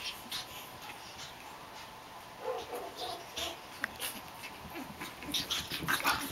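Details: Japanese Chin puppies Hestia, Asti, Fizzie and a baby girl playing together, giving short, soft whimpering and yipping sounds mid-clip and near the end, amid scuffling clicks and a human voice.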